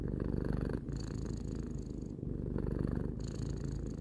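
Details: Purring from Tarou, a pet cat aged three, a deep continuous vibrating rumble with a brief dip in the middle and gentle rhythmic pulses as breathing shifts.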